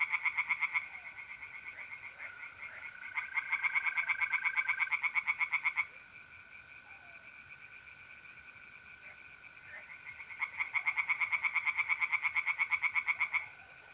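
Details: Tree frogs singing in a pond on a mid-April night in North-East Italy: loud bursts of rapid, rattling pulses, three choruses of roughly one to three seconds each, over steady, continuous high trilling from mole crickets.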